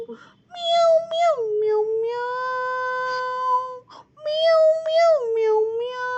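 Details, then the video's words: Cat giving two long, drawn-out meows, each opening with a higher wavering note that drops and then holds a steady, rich tone for well over a second, separated by a brief pause; no other sounds. "Meow Meow"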